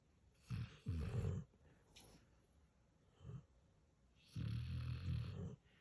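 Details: Snoring from a sleeping Pit Bull puppy and senior Mastiff/Pit mix, indoors: short low rumbling snorts, a faint brief one midway, then a longer rattling snore near the end.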